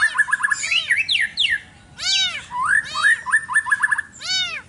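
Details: Village cats fighting over territory in a garden one morning give short, arched, wailing yowls near the end, mixed with rapid chirping and trilling bird calls that fill the first half.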